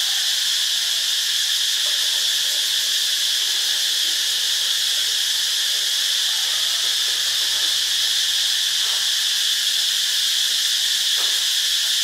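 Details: Cicadas calling in Ubon Ratchathani, Thailand, a continuous piercing buzz at constant volume, dense and hiss-like, with a couple of faint soft ticks in the background near the end.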